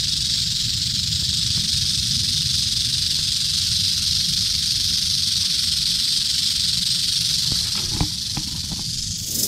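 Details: Eastern diamondback rattlesnake from Central Florida rattling steadily, a sustained dry high buzz running throughout, with a few faint clicks and knocks near the end and low background rumble.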